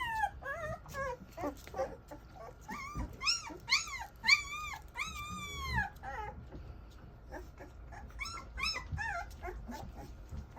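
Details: English Mastiff puppies whimpering: high, wavering whines with bright overtones, several overlapping in quick succession, each arching up then sliding down, loudest in a run through the middle, softer thin squeaks toward the end.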